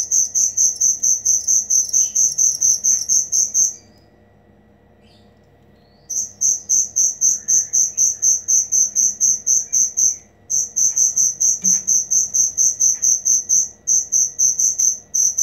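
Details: High rhythmic cricket chirps, about two per second, used as song material for cage birds; the chirping stops for a couple of seconds twice, then resumes, with faint bird chirps and whistles in between.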